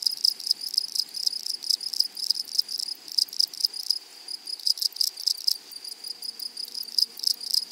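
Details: Meadow grasshoppers give a bright, high buzzing trill of quick beats. Louder broadband rasping bursts come in clusters, and a faint low tone enters near the end.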